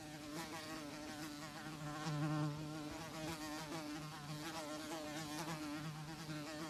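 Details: A housefly buzzes continuously in a low, vibrating drone. The pitch wobbles slightly, and the sound grows briefly louder partway through before settling back into an even hum.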